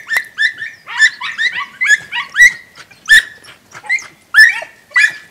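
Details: Podenco Andaluz recorded on 3 December 2011, giving high, sharp yelping barks in quick bursts, roughly nine clipped yelps over five seconds with brief gaps, each bright and slightly rising, no other clear sounds.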